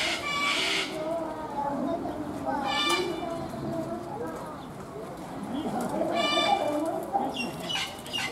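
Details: A white goat at Kyoto City Zoo head-butts and threatens another goat across a fence, giving short, harsh, buzzy bleats with voices murmuring nearby, until a zookeeper stops it.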